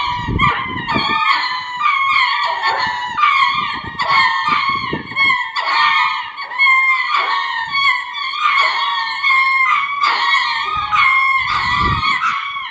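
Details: Courtship cries of ring-tailed lemurs at Hitachi Kamine Zoo in Hitachi, Japan: continuous rich harmonic wailing, rising and falling in bursts about once a second, with short breaks and low knocking sounds beneath.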